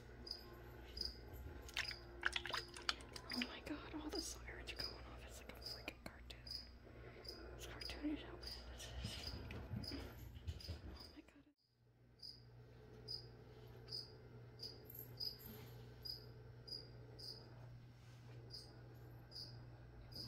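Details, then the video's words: Indoor cricket chirping under soft whispering and handling noises while plants are sprayed; short high chirps keep a steady rhythm, heard more clearly once the whispering stops after a brief silence midway. "Spray and Chirp (some whispering | spraying plants | cricket)"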